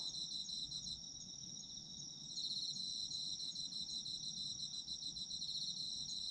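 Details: Autumn insects calling for sleep-time listening: steady high shrill trilling bands in a dense chorus, a second pulsed trill joining after about two seconds, faint low rumble of background noise beneath.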